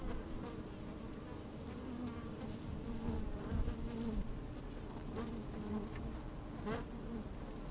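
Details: Busy honey bees moving about within an open hive, recorded with a microphone pushed into the colony on a sunny day: continuous low droning hum, scattered short buzzes and clicks, a sharper buzz near the end.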